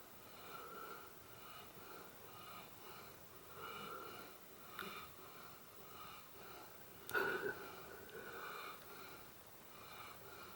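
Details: A sleeping pet dog snoring in an unusually odd way indoors: soft, raspy wheezing breaths that swell and fade roughly every second, with one sharper snort near the seventh second.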